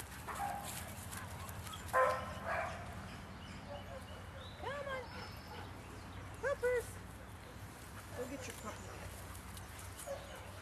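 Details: Large dogs heard during a walkabout give a loud bark near two seconds, then rising and falling yelping calls around four and six seconds, with voices and low background rumble throughout.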